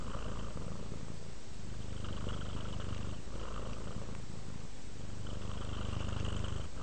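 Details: Content cat purring, deep low-pitched rumble with gentle swells as the breath changes direction, steady and close with a faint higher buzzy tone during some phases.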